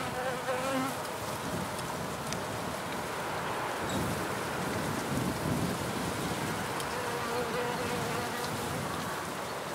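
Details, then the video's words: Wild bees in a nature field recording: a steady, dense droning hum with low buzzing tones that waver and slide as insects fly close and away, over constant broad background noise. "WILDBEES (1) / FIELD RECORDING / ONLY NATURE SOUNDS"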